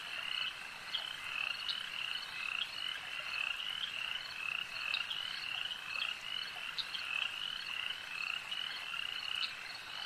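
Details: A lake's frogs croak in a busy, shrill chorus, rapid trills overlapping continuously, with occasional brief sharp notes rising above.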